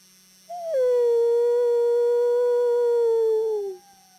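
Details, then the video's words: Wolf howling in conversation with a person howling: one long, steady, smooth tone that starts slightly higher, settles into a level note for nearly three seconds, then slides gently down at the end. "Conversation with a Wolf"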